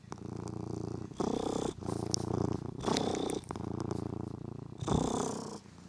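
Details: Domestic cat purring while playing with a toy mouse, its new favourite; a loud, low, grainy purr rising and falling with each breath roughly every second, with a few light taps and rustles.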